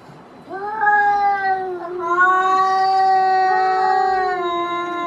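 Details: Outdoor cats fighting; one loud, sustained yowl holds a steady, harmonically rich tone for over four seconds with a brief break and slight pitch shifts, very close and dominant.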